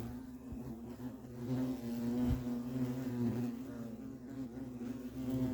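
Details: Wing hum of European hornets at their nest: a continuous low buzzing drone with stacked harmonics, rising and falling in intensity over a few seconds.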